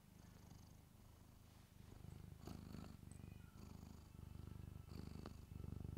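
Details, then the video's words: Pet cat purring loudly right against a microphone indoors: a continuous low rumbling purr pulsing rapidly, about three to four beats per second, with faint rustles and clicks. "Cat Purrs Loudly Into the Microphone"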